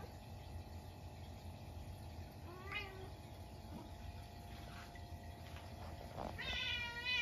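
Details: Munchkin cat reacting at midnight to a stink bug that got into the house on a snowy day: a short soft meow, then a longer, louder, harmonic-rich meow near the end, over a low steady household hum.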